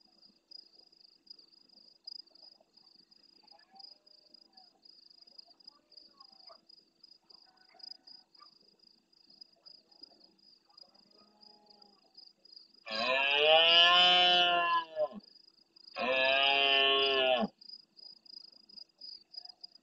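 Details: In the El Rocío marshes of Doñana, Andalusia, Spain, a big red deer stag bellows at the start of night close to the camera, replying to farther roars: two loud, rasping roars in quick succession, each about two seconds, with a continuous shrill insect chorus.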